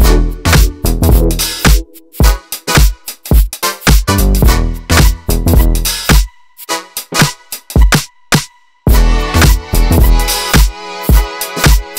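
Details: Loud, punchy funk-style dance music with heavy bass beats and brief pauses, and no animal sounds.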